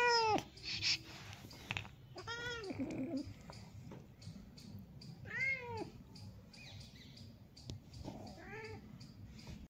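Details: Domestic cat relaxing in the sun gives four separate meows spread across the recording, each rising then falling, with soft rustling and low background hum between calls.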